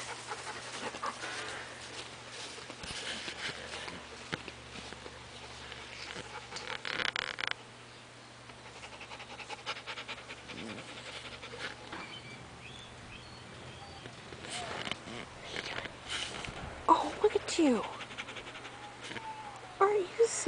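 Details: Pet dog Blue during a visit from his brother Amos: rapid, irregular breathy panting and snuffling bursts, fading quieter mid-way, then picking up again with a few sharper noises toward the end.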